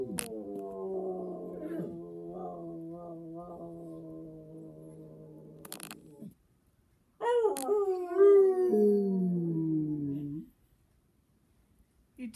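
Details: Pet dog named Bear howling on prompting from its owner, recorded 25 April 2017: long sustained low harmonic tones, then a louder howl sliding down in pitch, possibly with a second voice joining, followed by silence.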